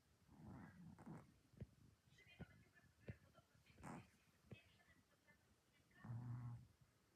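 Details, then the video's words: Orange domestic cat dreaming and snoring after an active day: soft, uneven snorts and breathy rasps spaced irregularly, ending in a deeper rumbling snore, with faint clicks in a quiet room. "The orange cat is dreaming and snoring!"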